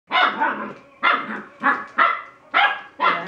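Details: ['Bernese Mountain Dog puppy playing alone, six sharp harmonic barks in a loose series of repeated bursts, each about half a second, with gaps between them.']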